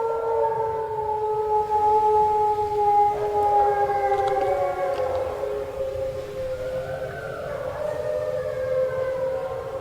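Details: Captive gray wolves at a wolf centre in Eureka howl in long, smooth, overlapping tones sliding up and down in pitch, answering a guide's call-and-response howl at night, checking who is out on the hillside.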